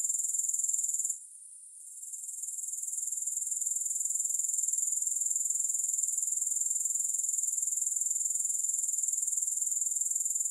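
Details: A high, sizzling grasshopper trill of rapid pulses goes quiet for under a second after the one-second mark. It then gradually returns and carries on evenly to the end.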